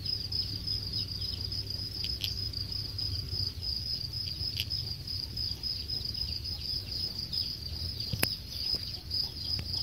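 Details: A high, unbroken cricket trill from a cricket farm in Khon Kaen, Thailand, where the insects are close to harvest, broken by a few sharp clicks and knocks over low background rumble.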